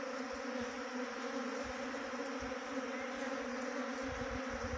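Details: Swarming honey bees at a trap box in Jaunsar-Bawar, Dehradun district, Uttarakhand, India, fill the air with a continuous low, even buzz, unbroken and steady, with scattered faint low knocks beneath it.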